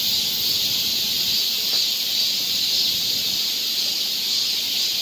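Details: Korean summer forest trail in Seoul filled with cicada song, a continuous high, hissing drone with no pauses and an even loudness throughout.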